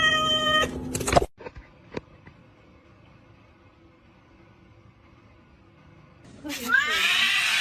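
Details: Domestic cat giving loud drawn-out meows with stacked harmonics at the start, a long near-silent gap with a few soft knocks, then another wavering, bending meow rising at the end.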